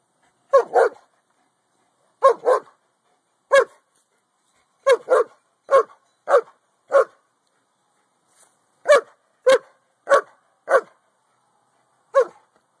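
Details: Pet Boston Terrier keeping watch on the neighbours and barking at their Corgi, captured on an Android phone: about sixteen sharp barks, some in quick pairs, others single, with an irregular rhythm over several seconds.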